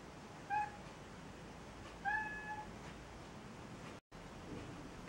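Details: Newborn Maine Coon kittens at a breeding cattery in Saint Petersburg, Russia: two thin, high mewing cries, the second longer and slightly wavering, set against a steady low background hiss.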